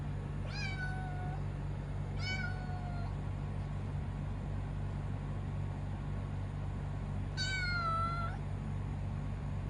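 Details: Young kitten giving clear, strong meows: two quick calls close together, then a pause and a third longer one falling at its end. A constant low electrical hum runs underneath.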